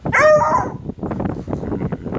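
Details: American Foxhound gives a short, loud, tonal howl with clear harmonics that rises and then drops, lasting about half a second, followed by scuffling and breathy noise.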